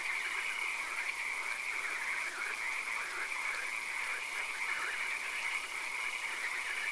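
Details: Night swamp with occasional rain, full of frogs: many overlapping pulsed croaks and trills form a continuous chorus over a constant high-pitched drone and soft background hiss.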